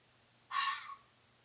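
A fox gives a single harsh, raspy cry lasting about half a second.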